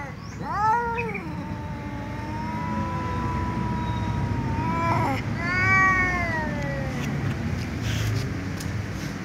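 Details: Tom cat and ginger cat meowing loudly at one another ahead of eating together; one long sustained meow rising then holding steady, followed by a second arched meow, with constant low rumbling background noise.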